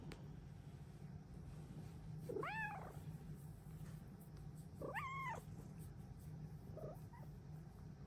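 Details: Luxe, a Bengal cat, gives bright, arching "happy kitty" morning meows that rise and fall, greeting her owner at the start of the day, over a low steady hum.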